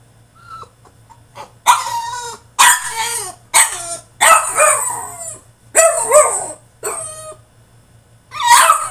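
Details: A caged French Bulldog throwing a tantrum with loud, raspy yips and barks roughly every second. Mixed with strained whining cries, indoors.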